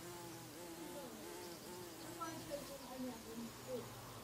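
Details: Several bees buzzing in flight, wavering hum whose pitch slides up and down as individuals circle nearby, with a low constant drone underneath.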